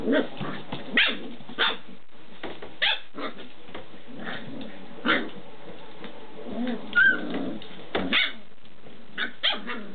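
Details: Six-week-old Standard Schnauzer puppies playing in pairs, loud and vocal: short sharp barks and yips burst out every second or so between rough growling and scuffling, with one high squeal near the seventh second.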